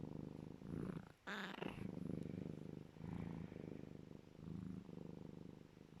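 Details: A happy serval purrs loudly and steadily while cuddling, a deep rumbling throb rising and falling with each breath.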